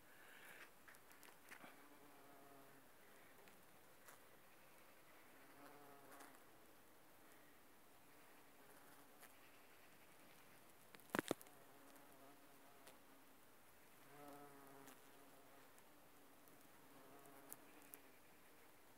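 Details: Bumblebees working aconite flowers: a low, humming buzz in repeated bursts with rich overtones, fading and returning as the insects move between blooms, with a sharp click near the middle and faint rustling.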